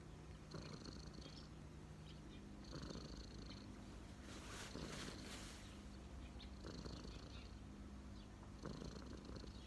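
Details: Cat relaxing on its person's knees purrs in a low rumble that swells in breathing cycles roughly every two seconds, with airy bursts between and faint high tones.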